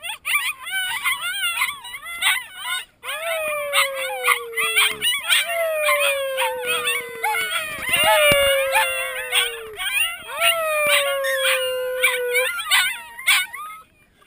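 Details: Sled dog puppies learning to howl in September 2012 howl together in a chorus of high, wavering, overlapping cries.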